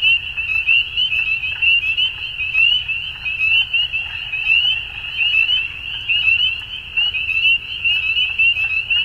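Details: Frogs in Ontario, Canada at spring dusk: a shrill, nonstop chorus of quick rising peeps from many callers, some louder notes standing out, over a faint low-frequency background.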